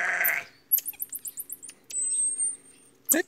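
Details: A baby marmoset, raised free-roaming on a farm, gives a quick run of high, sharp chirps, then a long thin whistle; the animals get annoyed.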